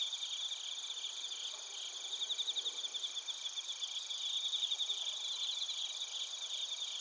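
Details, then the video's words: Chorus of bell crickets and crickets in Narita, Chiba Prefecture, Japan, captured with a TASCAM Portacapture X8: continuous high-pitched pulsed chirping, about four pulses per second, swelling and fading in waves over a steady background hiss of many insects. "スズムシとコオロギの鳴き声 - Chirping of crickets"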